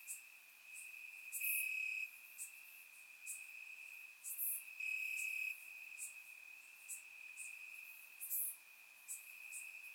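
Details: Crickets singing in grass on a warm Bulgarian summer night, recorded in surround: an unbroken thin high-pitched trill, rising in loudness in several one-second surges, punctuated by brief crisp clicks and hisses from other insects.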